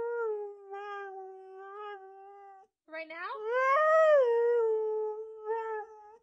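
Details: A Siberian Husky, asked whether it wants to go play in the snow, "sings" in reply with drawn-out, musical howls that waver up and then slide back down.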